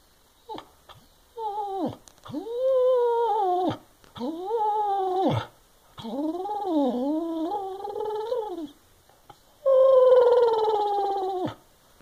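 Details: A senior Boston Terrier and Basset Hound mix dog indoors in North Carolina complains to his owner about a wastebasket blocking his walks around the house. He gives long, wavering, moaning howls in about five bursts that rise and fall in pitch.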